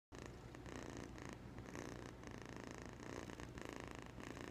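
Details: An 8.5-week-old kitten purring: a steady low rumbling throb that runs continuously, swelling slightly in bursts roughly every half second, with a faint hum underneath and no other sounds.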